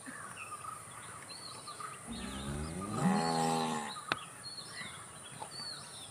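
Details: Cow making one moderately loud moo that starts low, rises slightly and holds for nearly two seconds, while birds chirp in the distance.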